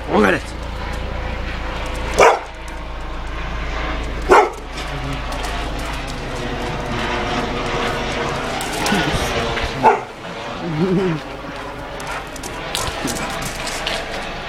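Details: Dog barks at a passing police helicopter, giving single loud barks roughly every two seconds at first, then spaced out. The deep droning rotor noise and human speech run underneath.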